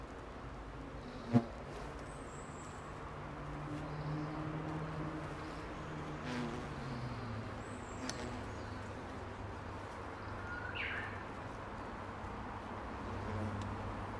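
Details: Angry hornets counterattacking after their nest was disturbed: a low droning buzz that wavers and shifts in pitch throughout, with a sharp click near the start and faint higher whines.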